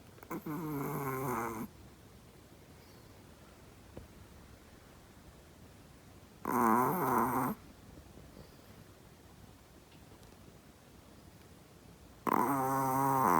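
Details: Sleeping Chihuahua snoring indoors, loud as a person: three harsh rasping snores about a second or more each, separated by long quiet pauses of roughly five seconds.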